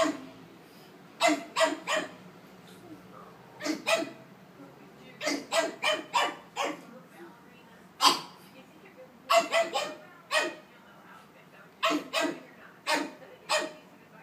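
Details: Anastácia, a happy 5-month-old Pug puppy kept as a house pet, barks in frustration at two noise-making stuffed toys; repeated bursts of two to four sharp yaps, pausing briefly between volleys.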